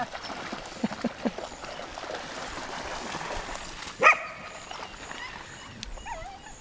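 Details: One sharp, loud bark rings out midway through a quiet stretch beside the lake at Lida Nature Reserve in summer, followed by a brief thin whine, with faint water and background murmur.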